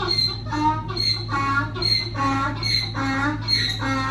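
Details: Donkey braying: a rhythmic run of harsh, strongly harmonic notes alternating between higher and lower tones, roughly eight phases in four seconds, over a steady low electrical hum.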